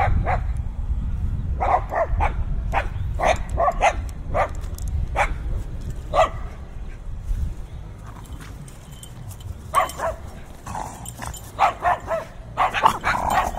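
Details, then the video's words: Binaural recording of fiercely barking dogs on a gusty day: rapid, repeated barks, several per second at times, pausing briefly midway before resuming in dense bursts, over strong low-pitched wind noise. "Fiercely Barking Dogs"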